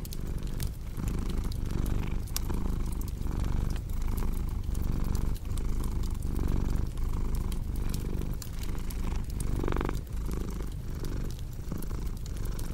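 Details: Steady purring from a cat, a soft low rumble pulsing with its breathing at roughly forty cycles a minute, accompanied by crackling fire snaps and one brief hiss near the end.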